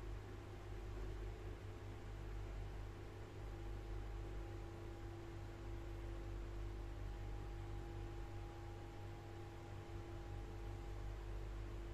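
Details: Steady mechanical hum with constant low tones, like a fan or appliance running indoors, and no animal sounds.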